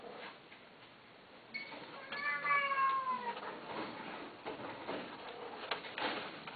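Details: Cat giving one drawn-out meow that starts bright and slides downward in pitch, preceded by a shorter cry and followed by soft rustling and hiss in a quiet indoor space.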